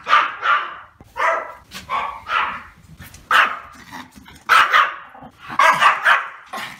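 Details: Barking from a male Pomeranian, high-pitched and yappy, delivered in uneven clusters of two or three quick barks separated by short pauses, about 55 barks a minute.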